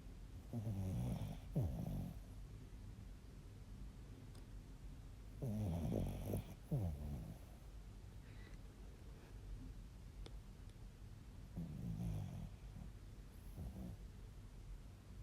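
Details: Sleeping Bichon Frise snoring in low rattling double bursts, an inhale then a shorter follow-up, recurring roughly every five to six seconds, with near silence between.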